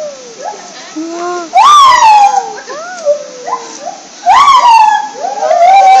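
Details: A gibbon at Ueno Zoo, making a great commotion, gives loud, sweeping whoops that rise and fall, with bright siren-like bursts.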